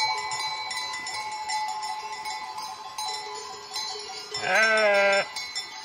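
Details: Sheep giving a single wavering, nasal bleat of under a second near the end, over steady ringing bell tones that fill the whole recording.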